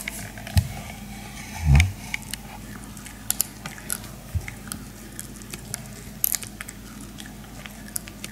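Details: Maltese dogs munching pig ear slices indoors: scattered sharp crunches and bites, with one louder thump midway, over a faint steady hum.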